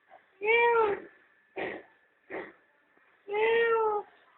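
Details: At home in the sunshine, a mother cat with her kittens gives two long, clear harmonic meows bracketing two short, rougher bursts, over a low steady background hum.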